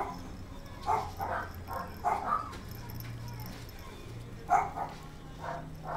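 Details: Gold female Kaninchen Dachshund puppy born November 6, at a puppy shop in Kadoma, Osaka, Japan, giving short, high yipping barks in irregular bursts of one or two, with quiet pauses between and a low background hum.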